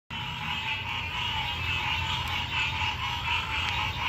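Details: Frogs calling at night in a dense, continuous chorus of rapid croaks and trills, energy concentrated in the mid and upper range, steady throughout with a constant high-pitched hiss above and low rumble beneath.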